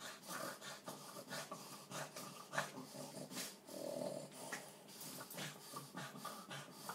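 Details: Two-year-old Boston terrier with epilepsy during a violent seizure, one of seven within three hours one night, filmed for the vet; rough, rasping gasps and snorts pulse about twice a second, with faint shuffling throughout.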